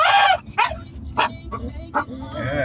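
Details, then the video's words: Pet Staffie giving a series of short, sharp yelping bursts, about five in under three seconds, separated by brief pauses, ending in a softer, sustained whine. "Funny Staffie noises"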